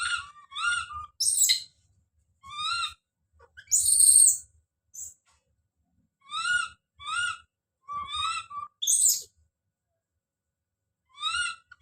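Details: Calls of baby monkey Don: clusters of two or three thin rising whistle-like cries, mixed with brief harsh shrieking bursts, separated by silent pauses.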